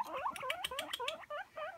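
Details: Hungry pet guinea pigs waiting for food give a rapid string of rising-and-falling squeaky whistles, about eight notes in under two seconds, over quiet background.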